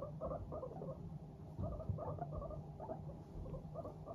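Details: Content domestic guinea pigs, Teddy and Abyssinian, babble 'pupupu' as they walk, with small clustered bursts of soft pulsing notes spaced about every half second against a faint low drone.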